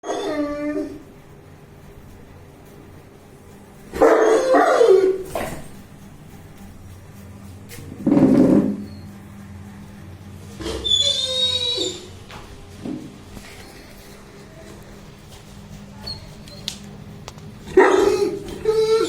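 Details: Bruno, a 21-month-old Saint Bernard, barks and makes noise while playing, recorded 19 September 2019: loud, rough harmonic barks and howl-like bursts in irregular clusters, separated by quiet gaps, with a few higher yelping notes.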